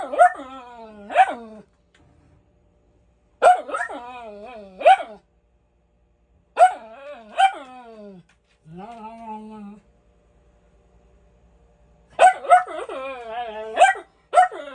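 A Miniature Schnauzer gives bursts of sharp, harmonic-rich barks, with whiny, yodelling notes between them.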